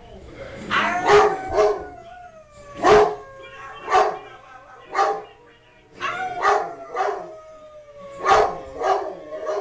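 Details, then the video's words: Blue merle Great Dane, excited and worked up while a woman and girl play with it, howling in long, gliding tones that slide slowly downward, mixed with short bursts of human voices and laughter. "1 of our 3 Danes Pepper (Blue Merle), Howling good time with Mama & Sis"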